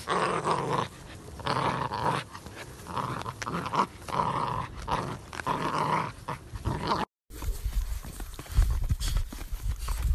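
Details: Presa Canario recorded April 2020, a deep, sustained rumbling growl rising and falling in long rough bursts with short breaths between, followed after a brief cut by lower, muffled rumbling and handling noise.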